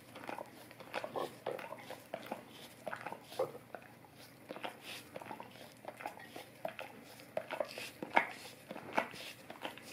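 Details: Golden Retriever licking an Orapup tongue cleaning brush: sticky smacking sounds in uneven bursts, with several stronger wet clicks toward the end.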